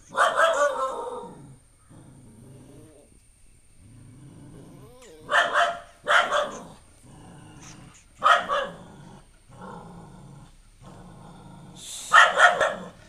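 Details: Pet dog barking at a newly arrived stray puppy it dislikes at first: loud harsh barks at the start and then around five, eight and twelve seconds, with low growls and grumbles filling the gaps.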